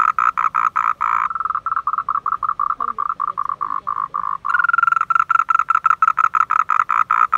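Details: Unseen frogs croaking in a car park at Man Yuet Yuen; a steady train of short rasping pulses, briefly softer in the middle, then a louder, sharper series of quick repeated croaks.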